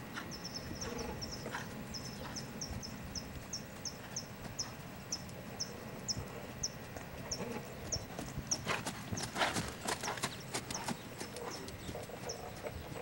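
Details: Lusitano stallion Lavrador, his hooves making a rapid burst of sharp clip-clop strikes late in the recording, over steady low rumble and a faint high chirp repeating about twice a second throughout.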